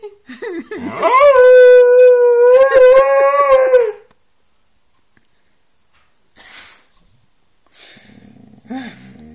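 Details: Siberian Husky giving one long, steady, mid-pitched howl lasting about three seconds with a scooping start, followed by near silence and a few faint soft noises.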